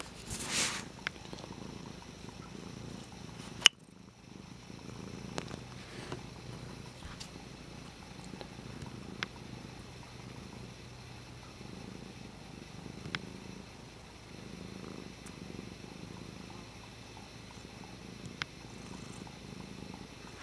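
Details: Pet cat Dutchess at play with a water bottle lid, purring in a soft, pulsing low rumble that continues throughout, broken by a loud knock early on and occasional light ticks.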